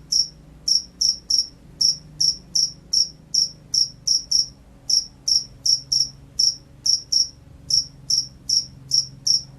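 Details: Jangkrik sawah field cricket, noted as gacor, delivers high shrill chirps in bursts of two to four separated by short pauses, around twenty-four chirps in total, with a faint low hum underneath.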